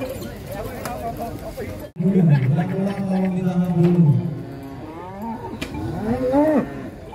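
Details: Big fat cattle unloaded from a truck at a contest, a deep, long, level moo lasting about two seconds, followed by softer curving lows and moos in the background.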